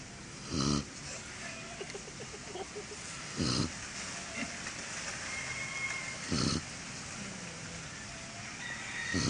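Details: Sleeping German Shorthaired Pointer snoring. Three short, rough, breathy snorts come about every three seconds over a faint background hiss.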